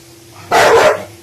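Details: Bentley, a one-year-old American Bully, lets out a single loud, harsh bark while scared and annoyed by a little pink umbrella the owner plays with; a steady low hum runs underneath.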